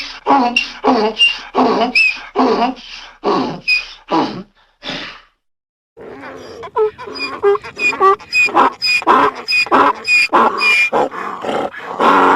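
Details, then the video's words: Donkey giving a long braying series: rapid harsh pulses repeated about twice a second, a short break, then a louder, rougher run of wheezing in-and-out brays. "donkey sound||funny donkey sound"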